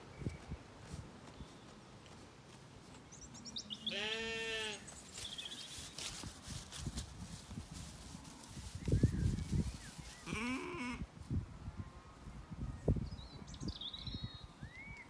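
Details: Zwartbles lambs, recently weaned and settled, grazing in an orchard in County Kilkenny, Ireland, in the evening: a harmonic bleat near four seconds and a rougher one around ten, amid low rustling and chewing noise, with faint birdsong above.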